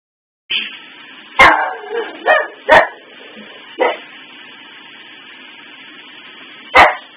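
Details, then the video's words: Maggie, a pet dog, barking indoors at Christmas tree lights stuck flicking on and off: sharp loud barks at irregular gaps, a cluster of three early, then isolated ones, over a steady faint hum. "Maggie barking and howling at the Christmas tree"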